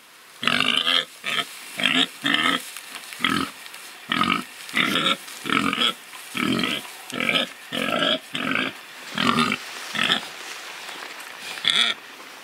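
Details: Free-living pigs rooting and truffling give a steady run of about fifteen short nasal oinks and grunts, each under half a second, spaced roughly every three-quarters of a second.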